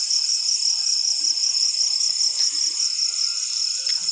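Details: After rainfall, crickets trill steadily in a high, shimmering band, a continuous chorus with no breaks.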